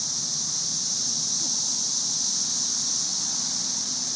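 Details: Masses of cicadas in trees during the May 2011 Cicada Invasion, thousands calling at once: a steady, high sizzling hiss like white noise, unbroken for the whole stretch, with faint low rumble underneath.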